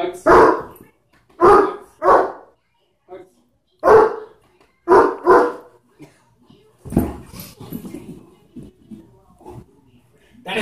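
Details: Irish Wolfhound barking: deep, full barks in single beats and quick pairs over the first five seconds, then quieter muffled sounds while a person talks and calls the dog.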